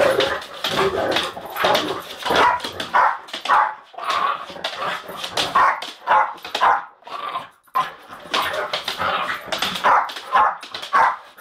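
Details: Jack Russell fighting a Bull Mastiff: dense, continuous snarling, yelping and harsh barking in quick irregular bursts, noisy and broadband throughout with almost no pauses.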